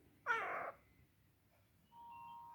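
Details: Domestic cat, sleepy and enjoying being carried around, gives one short, baby-like meow lasting about half a second. A steady faint tone follows, and a person speaks quietly nearby.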